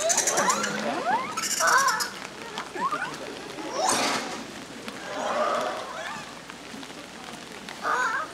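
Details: Japanese macaques, with youngsters moving about actively at Ueno Zoo on 14 April 2022, give clear, tonal calls that swoop up and down in pitch, repeated every second or two, with people talking nearby.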